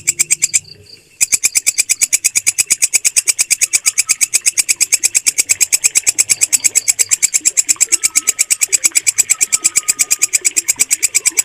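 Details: Walang kecek cricket producing a shrill, regular pulsed song, roughly three pulses per second after a brief pause at the start, with faint twittering birds and a thin whistle behind.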